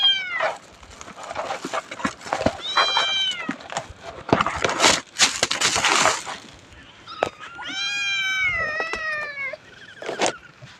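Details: Cat resting in the afternoon at Wat Pong Chai temple, Chae Hom, Lampang: short tonal meows near the start, then a longer drawn-out meow that dips and levels off, amid rustling and broadband handling noise bursts.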